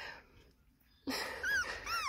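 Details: American Staffordshire Terrier, described as attacking a person, gives a short high whine after a quiet pause: two bright, arching, falling whistles within a second, with a brief thump at the start.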